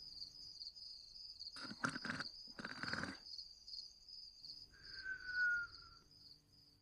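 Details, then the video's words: Dexter the dog snoring and whistling while asleep: two rough, rasping snore bursts, then a long thin whistle sliding slightly downward, all over a steady high cricket chirping. "Dexter Snoring & Whistling (With the Sound of Crickets Chirping"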